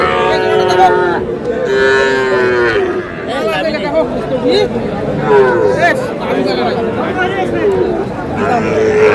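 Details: Small calves, bulls and heifers, at a busy Rangpur cattle market in Bangladesh give a chorus of bleating moos, rising and falling, one call after another, beneath constant human talk and market bustle.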